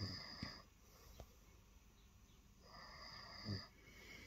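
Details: Lilo, a female cat, purring softly on the bed in the early morning after jumping up and waiting for attention; a low rumbling swell near the start, then a second, longer breathy wave of purring in a quiet room.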